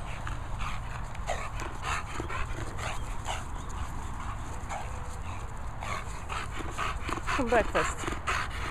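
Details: Hungry English Bulldog waiting for breakfast indoors, breathing in quick snuffling pants with scattered clicks, then a short rising whine near the end, while a person speaks to her in the background.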